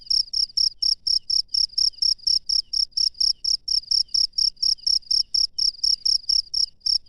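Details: Cricket in the wild at night, chirping in a regular stream of sharp, shrill pulses roughly two each second, loud and clear over a quiet, faintly rumbling background.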